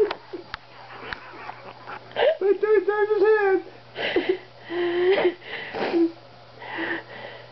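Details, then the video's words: Bear, a pet dog said to talk in broken English, supposedly saying "Watch me attack this cat": a run of whiny, wavering moan-like yowls that rise and fall in pitch, in bursts of a second or so with short pauses, indoors. "Bear The Talking Dog"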